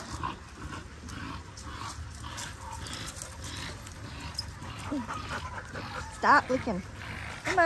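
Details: Linc, a baby Australian cattle dog, playing with bigger puppies in a paddock: quiet rustling at first, then sharp, high yelps and yips with rising and falling pitch near the end, one burst after another.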